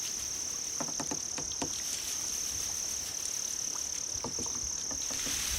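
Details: Crickets, or grass insects, in sound used to lure cats. A dense, unbroken high-pitched trill holds steady, over faint irregular knocks and a watery rustle.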